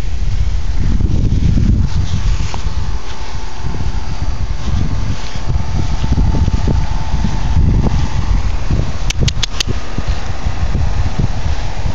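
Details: Wind rumble dominates outdoors, with low buffeting and a few brief clicks near the end; no animal voice stands out.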